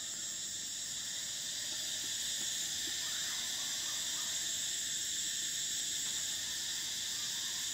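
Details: Cicadas singing in summer, a continuous shrill hiss-like drone holding even and unbroken throughout, with a few faint, softer chirps beneath it near the middle.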